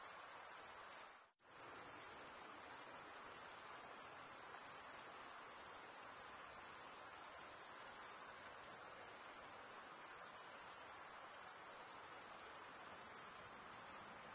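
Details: Male crickets stridulate in a continuous high, thin trilling chorus, broken by one abrupt silent gap about a second in, then running on evenly to the end.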